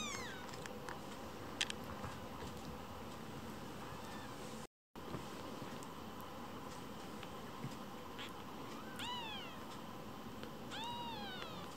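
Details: Rescued foster kittens squabbling and competing for their keeper's attention indoors; a steady background hiss with light clicks, then two high, arching kitten meows near the end, each rising and falling.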